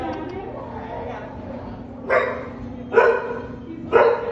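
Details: Guide dog puppies on a break from training: three sharp barks about one second apart near the end, over a steady low hum.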